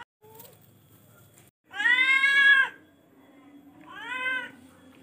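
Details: Charcoal F1 cat giving two meows: a long, loud, strained meow lasting about a second, then a shorter, softer meow, with a faint low hum between calls.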